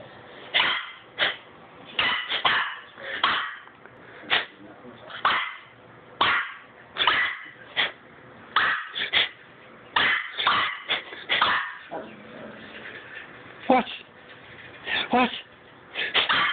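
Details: Baxter, a Cavalier King Charles Spaniel puppy, gives a string of short, sharp barks, roughly one or two per second, with a few quick doubles; a person's voice is heard between them indoors.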